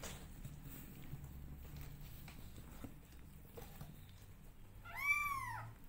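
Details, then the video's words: Kitten from a family of 20-day-old cats giving one clear, high, arching meow near the end after several seconds of quiet room hum and faint rustling. "Meow Cat Family Is 20 Days Old Now Cutest And Loudest Cat Family"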